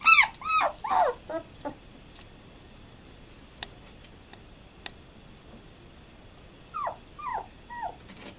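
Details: German Shepherd puppies at 12 days of age, recorded 18 November 2012, let out a quick burst of shrill yelps and whines, fall nearly silent apart from faint clicks, then give three more falling squeaks.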